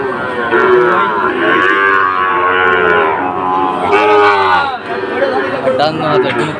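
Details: Sahiwal bull calves at Ambari cattle market near Sylhet on 2 October: drawn-out, overlapping moos with wavering harmonic tones, several animals lowing together over a steady murmur of market crowd voices.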